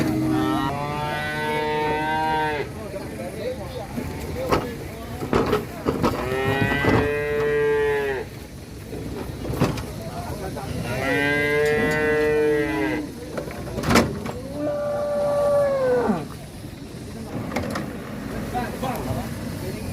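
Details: Cattle arriving off a truck for Qurban, some of them raging: loud drawn-out moos with rich stacked harmonics, four long calls spaced a few seconds apart, some rising and falling, with clattering knocks and faint vehicle noise between them.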